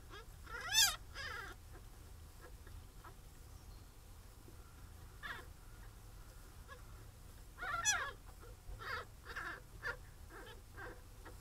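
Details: Captive-bred pine marten kits at Wildwood Trust in their first week after birth, from a breeding programme supporting the species' return to England: sharp, high squeaking cries in two bursts several seconds apart, with softer chirps between over low hum.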